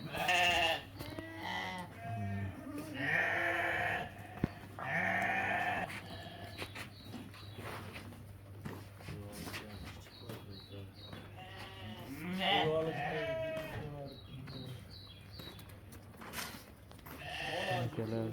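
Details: A flock of ewes and rams at a livestock market bleats over and over. Several animals overlap in wavering, quavering cries, some loud and close, others farther off, with faint market background noise throughout.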